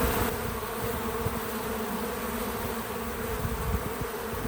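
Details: Bees visiting a feeder give a steady, low droning buzz that rises and falls slightly as they move about.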